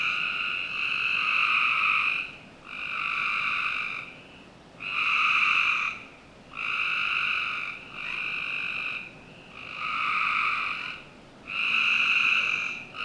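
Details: Frogs trilling through a summer night in a Northern Virginia backyard, with coarse buzzing bursts near a second long, repeated steadily about every two seconds with quiet gaps between.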